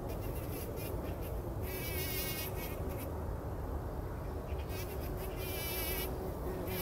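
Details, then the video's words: Early-morning bumblebees bathing in poppy pollen before sunrise in 2019 keep up a dense, low humming buzz; two stretches of quavering birdsong sound above the drone. "Hummeln wälzen sich in der Mohnblüte – summend wird das Pollenbad angenommen"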